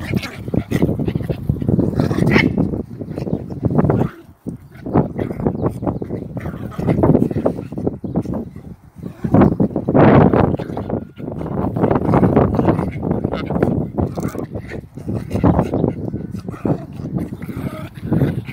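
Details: German Spitz mother correcting a disrespectful puppy with a long, rough, low rumbling that carries on almost without a break. It stops briefly a few times and then resumes in noisy, broadband surges.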